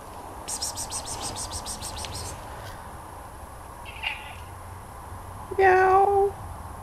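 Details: Sam the cat: a rapid run of clicking taps fills the first two seconds, a faint brief sound follows, then one loud, steady, level meow of about half a second near the end.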